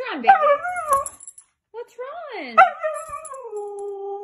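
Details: Mika, a Siberian Husky back from a 30-minute walk where she saw squirrels, gives two drawn-out, bending howls with a short pause between, the second settling into a steady, lower tone; a voice chatters alongside.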